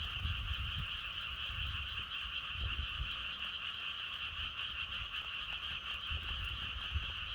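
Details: Frogs croaking steadily as a dense chorus with bright bands near the top of the range, outdoors in natural wind, low rumbling gusts underneath throughout.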